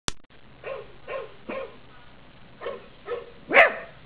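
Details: A 3-month-old Cavalier King Charles Spaniel puppy barks along with dogs in a Christmas advert, giving short, high yaps in two quick bursts of three.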